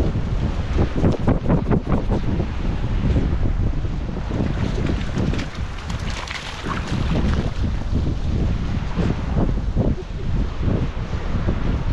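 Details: Strong wind buffets the microphone while waves wash on a beach, and no animal calls are heard.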